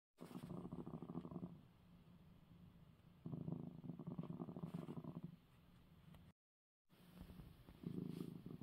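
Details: Domestic male cat purring after receiving his eye medicine: low rumbling purr in long breathy phases, louder on each in-breath around one and three seconds, softer between, with a brief gap near six seconds.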